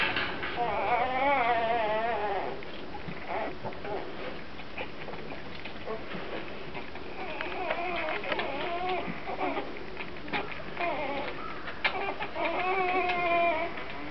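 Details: A litter of Grand Basset Griffon Vendéen pups at the Viersenhoeve kennel gives wavering, rising-and-falling whines and short squeaks, repeated quickly and overlapping throughout.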